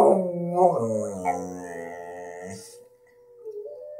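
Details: A 1-year-old male English Staffordshire Bull Terrier howls in long, wavering, slowly falling tones, joining in with wolves.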